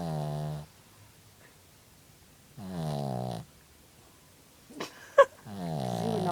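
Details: Sleeping dog snoring indoors: three low, rasping, buzzy snore breaths roughly every two and a half seconds, each lasting under a second, with quiet pauses between and a couple of faint clicks before the last snore.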